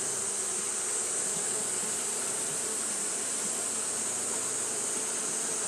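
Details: Japanese honey bees fanning continuously on a hot day: a steady, dense droning hum with no breaks, layered under a constant bright high-pitched hiss.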